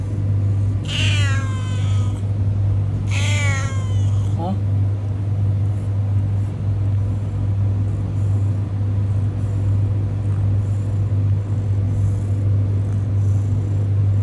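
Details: Homeless cat on a road giving two loud, drawn-out meows in the first four seconds, each harmonic-rich and sliding downward, then silent, over a constant low droning rumble like an idling engine.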